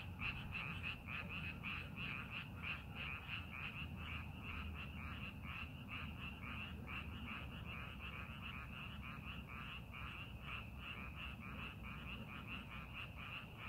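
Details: Frogs calling from rice paddies being prepared for farming; a dense chorus of short, bright croaks repeats roughly three times per second in an uneven, overlapping pattern, over a steady low rumble.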